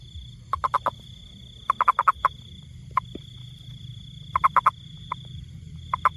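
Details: A toad, possibly a rain frog, gives quick clucking pulses in short bursts of three to five notes over a faint steady high hum.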